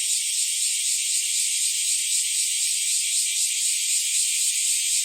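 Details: Cicada chorus of bear cicadas and kaempfer cicadas on an early summer morning in July 2023: a dense, unbroken, high shrill hiss that stays steady and loud throughout, with no other sounds.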